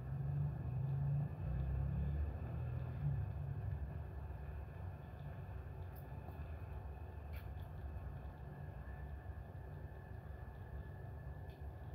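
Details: A steady low engine rumble dominates throughout, with a few faint high clicks and no animal sounds.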